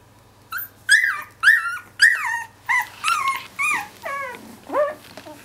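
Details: Two-week-old Finnish Lapphund puppies complaining indoors: a run of nine high, whining whimpers about every half second, each sliding downward, the later ones dropping lower and longer, over a faint steady low hum.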